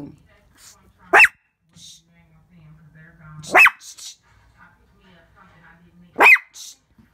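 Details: Pet Shih Tzu at home barking at its own reflection in a window: three sharp, high yapping barks spaced about two and a half seconds apart, with faint low household hum between them.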